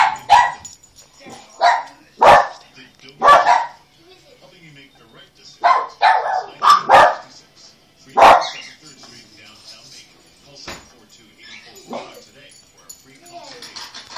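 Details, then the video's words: Dogs barking in response to the doorbell ringing: loud, harsh barks in short bursts of one to three, about ten over fourteen seconds, separated by quieter gaps with faint household sounds and a little speech. "the other dogs barking at the doorbell"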